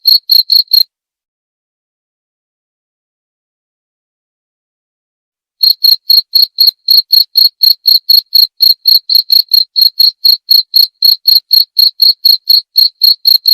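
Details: Cricket: a brief burst of shrill chirps, nearly five seconds of silence, then a long unbroken run of high pulses at about four per second; nothing else audible.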